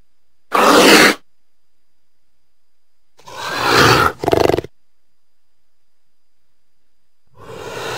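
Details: Cougar making short, harsh, breathy hisses and snarls: one loud burst, then a longer rasping one that breaks into stuttering pulses, with another hiss starting at the end.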